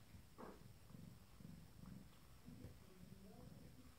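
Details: 25-day-old Abyssinian kitten purring softly indoors: a low, rhythmic rumble pulsing about twice a second, steady throughout, with a few faint higher squeaks.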